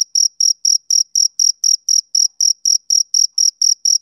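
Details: Summer-evening chirps from a male cricket, heard as crisp high pulses spaced about a quarter second apart, about sixteen in four seconds, steady and clean against silence.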